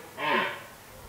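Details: A red deer stag in the 2023 rut in an autumn forest gives one brief, hoarse, groaning roar that falls in pitch and fades quickly against quiet background.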